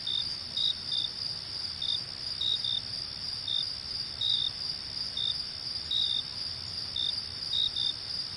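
Crickets trill steadily at night, with short higher chirps popping in over the constant ringing.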